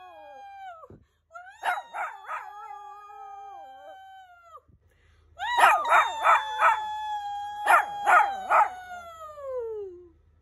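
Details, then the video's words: Shih Tzu howling in long drawn-out tones that slide slowly downward, broken by bursts of short pulsed yelps; two howling bouts separated by a pause, the second louder and ending in a falling wail. "Ultimate Shih Tzu Howling compilation"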